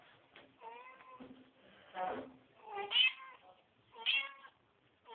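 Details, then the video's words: Kittens being cleaned by their mother cat, several short harmonic meows in quick succession, some rising to a high squeaky peak, with soft rustling between calls. "Mamãe gato limpado os filhotes - Mom cat cleaning baby kitten"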